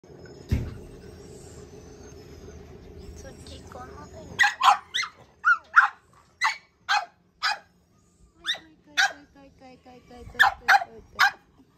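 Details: {'caption': 'Chubby female French Bulldog with a rare coat colour gives a run of short, high, sharp yips, roughly two per second, starting after a few seconds of low rumbling background noise, with a brief pause midway.'}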